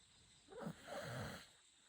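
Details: Chako, a Shiba Inu dog, snoring: a single rasping, breathy snore lasting about a second, rising then fading, over a quiet, steady background hiss.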